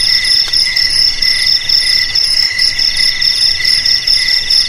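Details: High cricket chirping, presented as a traditional way to scare off rats, fills the whole stretch; rapid rhythmic pulses sit in several parallel shrill bands, steady and unbroken, with a faint hiss beneath.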